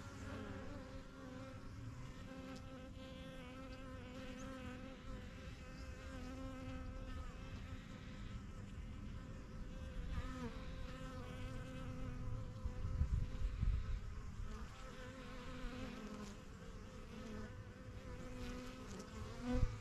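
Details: Steady, dense hum of many honey bees flying in and out of a young backyard hive, the yellow box and strongest colony, with layered droning tones that swell slightly toward the end.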